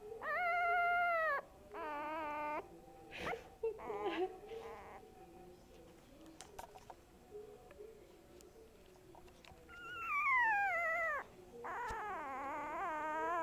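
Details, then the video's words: Boo Boo the dog sings out in long, wavering, harmonic howls, some bending sharply downward, separated by stretches of softer whimpering and faint background noise. "BOO BOO makes noises"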